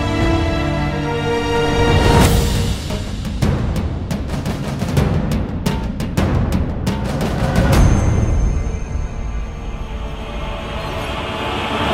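Dramatic music with booming drum hits and sustained tones; no animal voice stands out.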